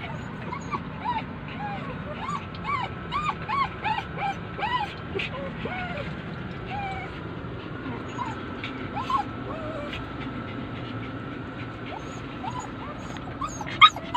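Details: Poodles left outside while their owner shops inside a Uniqlo store cry with high, arching whimpers that come in quick bursts and fade into scattered yips, over steady low crowd and traffic rumble.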